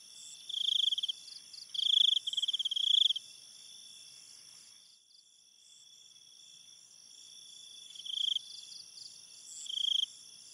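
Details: Forest crickets calling at night: three loud bursts of rapid pulsed chirping early on, a quieter stretch, then two more bursts near the end, all over a steady high-pitched background trill from other crickets.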